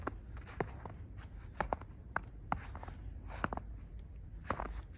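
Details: Irregular footsteps and sharp clicks sound in a small indoor room over a quiet background hum.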